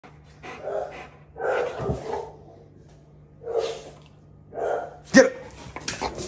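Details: Fourteen-month-old German Rottweiler giving soft, muffled low barks or huffs: four short, dull bursts roughly a second apart, followed by a sharp click and rustling.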